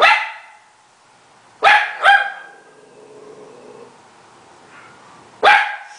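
An Italian Greyhound gives sharp, high-pitched barks, two in quick succession and one more after a pause.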